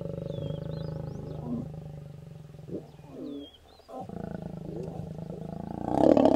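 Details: Two wild lions mating near Kecheche Valley Camp, Naboisho Conservancy, Maasai Mara: deep pulsing growls and snarls, a gap of near silence, then renewed throaty rumbling ending in a loud burst, with thin bird whistles above.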